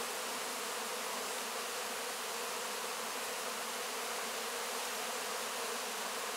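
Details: Honey bees licking honey from wax cappings after a harvest, recorded close-up; a continuous, even droning buzz of many insects blending into a hissing wash, with no pauses.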